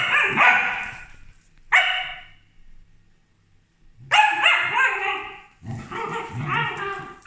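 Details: Two Corgis bark at a helper in sharp, bright bursts with short pauses between volleys.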